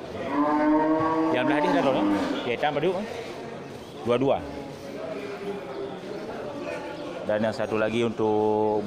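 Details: Large local cattle at the Geurugok market on 29 March 2022, in the pre-Ramadan week. Several drawn-out harmonic moos, at the start and again near the end, with men's voices and market chatter between them.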